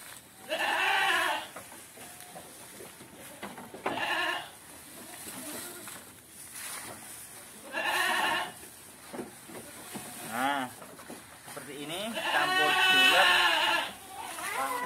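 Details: Goats kept for feed trials, given silage as stored fodder during the rainy season; several wavering, quavering bleats recur every few seconds among a man's speech and rustling.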